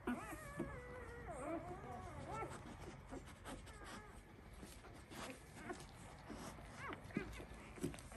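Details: One-week-old Labrador Retriever puppies of a breeder's Y2 litter: a drawn-out wavering whine opens, followed by a few quieter squeaks, with shuffling and faint movement noise throughout.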